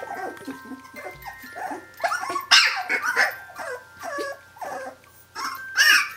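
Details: Brenda's 17-day-old puppies calling for her, their mother: overlapping high squeaky whines and whimpers rising and falling, several pups at once, with uneven pauses and a faint steady tone behind.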